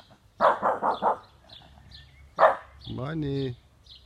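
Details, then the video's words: A 12-month-old French Bulldog howling for the first time: four quick, rough, rhythmic yelping pulses, a brief pause, one more sharp note, then a drawn-out tonal, harmonic wavering howl lasting about half a second. "French bulldog first jawling"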